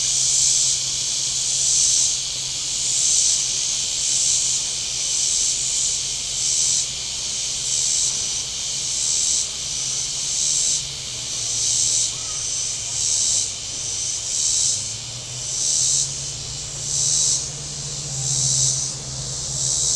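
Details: Cicadas along Table Rock Lake, southern Missouri, on a warm Saturday: a shrill hissing drone that throbs in regular pulses about every second and a half, while a low boat motor drones and shifts in pitch beneath.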